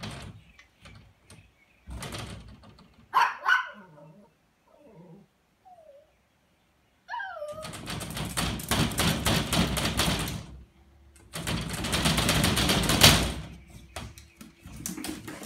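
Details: Poodle at boxing practice play: one sharp harmonic yelp-bark, then a thin whine sliding downward, followed by long stretches of loud scuffling, thumping movement noise with short yips mixed in.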